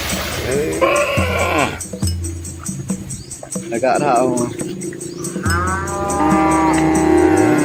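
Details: Village cows and calves of a red Asian herd crossing a small river amid green trees; short mooing bouts at the start and a higher, stretched bellow toward the end, over a busy, noisy background.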